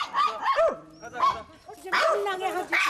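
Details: Three pet dogs barking together at other dogs during a walk, broadcast 22 March 2019; overlapping sharp, high yelping barks in quick bursts, with a man's voice talking over them.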